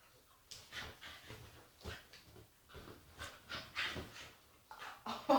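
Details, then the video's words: Agitated female Staffordshire Bull Terrier making quiet snuffling, whining and snorting noises in a small room, short breathy bursts coming roughly every half second, rising to a louder squeak at the very end. "Agitated Staffy makes funny noises"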